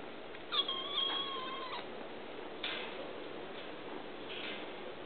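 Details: Kittens at a pound, a high harmonic meow near the start lasting about a second, followed by a couple of fainter short mews over steady background hiss.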